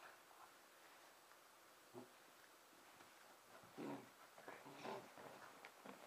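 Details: On Christmas night 2009, Emma, a 5.5-month-old red and white Pembroke Welsh Corgi, plays on her own indoors. After quiet rustling comes a faint grunt, then two short, yappy barks about a second apart, and soft scuffles.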